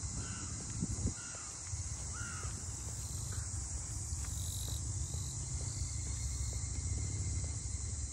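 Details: Cicadas droning along the port-house townscape of Ine no Funaya, north of Kyoto, Japan: a steady, high, hissing buzz runs unbroken throughout, while a few crows caw in the first seconds over a low background rumble.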